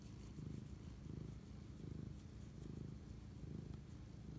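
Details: A cat purrs close up while bonding with its owner at night, March 25, 2019 at 11:07 pm; a rich low rumble pulses regularly, about one swell every 0.7 seconds.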